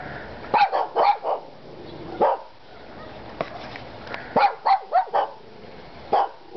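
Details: Three dogs, Kona, Koko and Konnor, barking in short sharp bursts, several quick barks clustered together, then pauses, then further pairs and single barks near the end.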